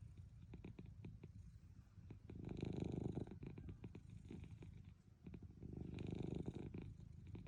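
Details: Munchkin cat Milk asleep during a midday nap: a continuous low purr with clicking pulses, rising into two long loud breathy snores, each lasting over a second, in a quiet indoor setting.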